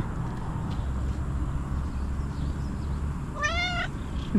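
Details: Domestic cat asking for food outdoors; one clear, drawn-out, slightly rising meow near the end after a stretch of low rumbling background noise.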